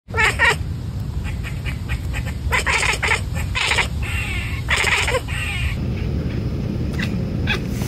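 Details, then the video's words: A Savannah-Bengal cat outdoors gives short, bright chirps in quick bursts, chattering at prey and mimicking birds and squirrels, a documented hunting behaviour, over a steady low rumble of outdoor noise. "My cat’s chirp is mimicking birds and squirrels, a documented hunting behavior"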